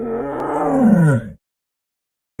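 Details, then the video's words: Tiger giving a single drawn-out harmonic moan lasting just over a second, its pitch sliding steadily downward before cutting off into silence, with a fresh sound starting at the very end. "Tiger Sounds"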